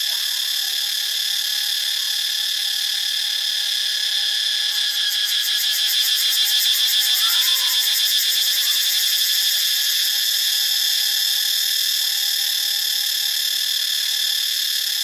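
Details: Steady shrill cicada din from Ubon Ratchathani, Thailand; a fast rattling pulse rises in the middle section, and a quiet sustained whistle plus a few short bird notes run underneath.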